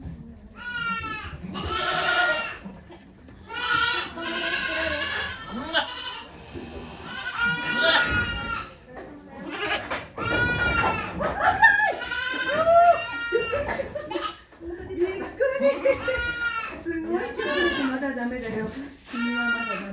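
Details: Okayu the goat at Yoshigake Farm in Japan, delivering two kids on 3 May 2023, keeps up a near-continuous series of loud, wavering bleats, some rising and falling, with human voices in the background.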